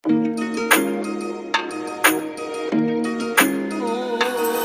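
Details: Plucked string music with bright, jingling struck accents about every second and no animal sounds.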